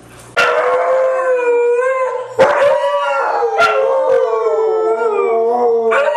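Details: Three white huskies howl together in a sing-along: long sustained tonal howls with rich harmonics, gliding slightly up and down, entering after a brief quiet start, with a fresh voice joining near two seconds and sharp clicks between.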